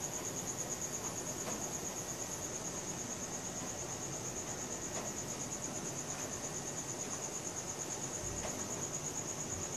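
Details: Night crickets captured with a Samsung Galaxy S4 phone, giving a continuous shrill pulsing trill held at one high pitch from start to finish over a low rumbling ambient background.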